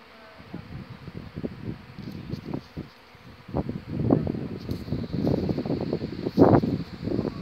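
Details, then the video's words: Honey bee colony swarming in May at a garden in Haarlem, the Netherlands, the old queen leaving with half the bees; a dense low droning buzz of many bees swelling and fading in waves, growing louder toward the end. "Bijenvolk zwermt"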